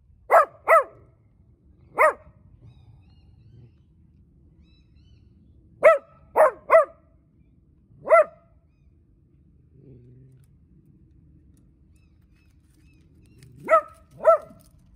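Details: Sunbathing puppy barks at someone walking toward it while a pretty little black dog runs about. Sharp, clipped barks come in quick pairs and singles, nine in all, separated by quiet gaps of a few seconds.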